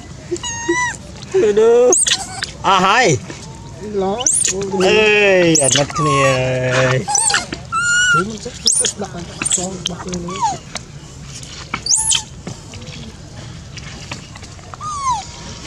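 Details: Adorable baby monkeys screaming loudly as they beg for food during feeding; a long stretch of piercing wavering cries and short squeaks, some sliding sharply up or down, mixed with people talking.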